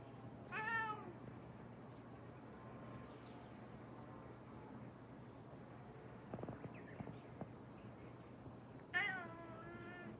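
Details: Stray cat, rescued from sleeping in a field and taken in, meowing outdoors: a loud, harmonic, falling meow near the start and another strong meow near the end, with quiet ambient hum and faint chirps between.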